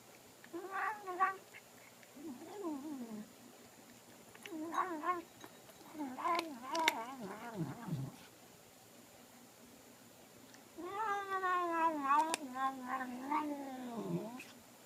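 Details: Pet cat Sophie chatting through her food indoors. Uneven bursts of warbling, up-and-down moans are separated by short silences, and a long quavering drone closes the sequence. Occasional chewing clicks sound throughout.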